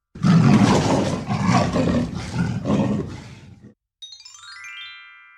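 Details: Leopard calling in a rasping series of about five coarse, sawing grunts, each roughly a second apart and fading slightly, then a short chiming jingle sliding downward.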